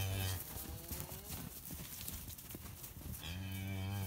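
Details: Deep, drawn-out lowing from Red Poll cattle in woodland, one moo opening and another closing the passage, with crackling steps and rustling through the undergrowth in between.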